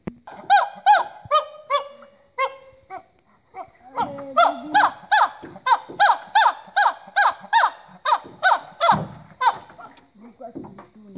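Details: Rescued chimpanzees in the Congo: a run of loud, harmonic, arching hoots, a few spaced at first, then about fifteen rapid rising-and-falling cries at roughly two per second, each sharp, ending in lower, scattered sounds.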